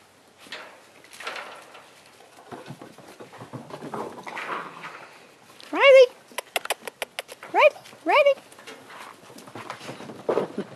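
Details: Six-week-old Great Dane puppies, including a female mantle pup, playing with their litter mates: a few high rising whining yelps and squeaks stand out, alongside soft scuffling and a person talking quietly.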